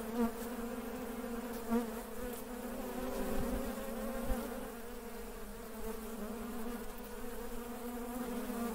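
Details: Honey bees going about their work give a steady low hum, the buzzing drone layered and constant, with small surges in loudness and a few faint knocks.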